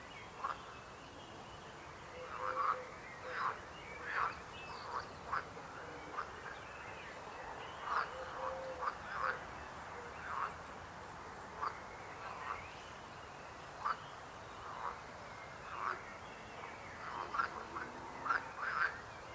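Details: Croaking frogs: short, separate croaks repeated irregularly, roughly every half second to two seconds, standing out against a steady low background hiss.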